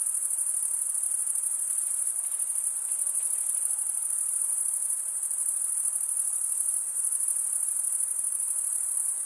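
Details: Continuous shrill cricket chorus, males chirping by running one wing over a toothed vein on the other wing; a dense, high, buzzing trill with no breaks and soft background noise.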